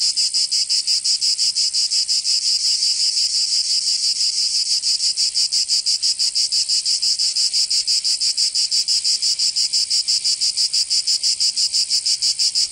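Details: Summer cicada chorus from Provence in the south of France. A loud, hissing high-pitched drone beats in quick, very even pulses, close to three each second, and runs unbroken throughout.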